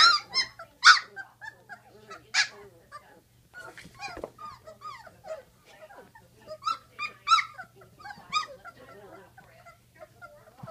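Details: Great Dane puppies at 16 days old giving a busy run of high squeaky whimpers and yelps, with several loud peaks near the start and a faint steady hum underneath.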